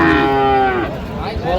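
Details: Sahiwal bull bought by a farmer at a Natore cattle market on 31 December: a loud, rich moo with many harmonics, steady then sliding lower, followed by market bustle and a short rising tonal tail.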